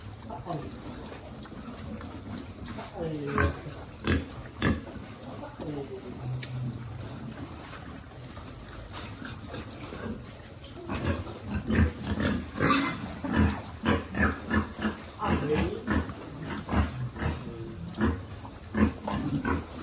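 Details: Feeding piglet on a farm: scattered grunts early on, then a denser run of sharp, clicking snorts and squeals in the second half, with a human voice talking in places.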